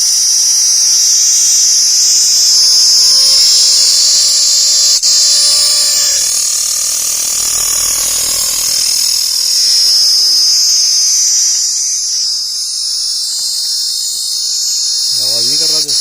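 A steady, high-pitched insect drone, shrill and pulsing rapidly without a break.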